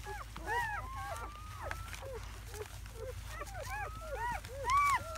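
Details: Seven newborn German Shepherd puppies, four male and three female, hours old in May 2017. Many short, curved squeaks and mewling cries from several pups overlap, with a faint thin whine in the background.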